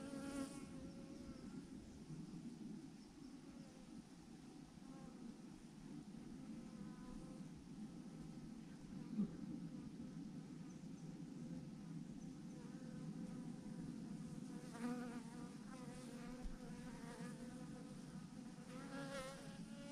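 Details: Massive clump of thousands of honey bees on a branch, giving a continuous low droning hum throughout, with occasional louder bees flying by near the end.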